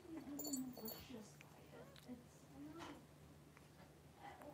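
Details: Five 3-week-old blenheim Cavalier King Charles Spaniel puppies wrestling and playing in an indoor puppy pen; brief high squeaky whimpers come early, followed by softer scuffling over a steady low hum.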